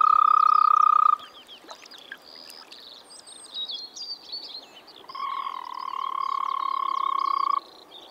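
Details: Spring frog call from a Czech pond or wetland: a sustained, fast-pulsed trill opens the recording and returns for about two and a half seconds later, separated by bird chirps and whistles.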